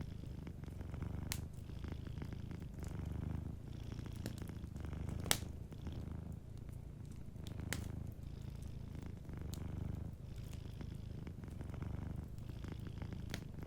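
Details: Soft, even purr of a cat asleep beside a cozy fireplace, the low vibrating rumble rising and easing in long breaths while scattered wood crackles snap throughout.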